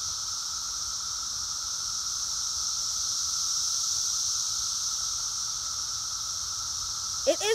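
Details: Dense Brood X periodical cicada chorus outdoors, emerged after 17 years underground, makes a steady, shrill, ear-splitting hiss with no break.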